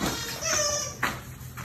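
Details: Six-week-old German Shepherd/Labrador/Rottweiler mix puppy in an indoor litter gives a high, drawn-out whining yelp with bright harmonics, followed by a brief sharp squeak and soft room noise.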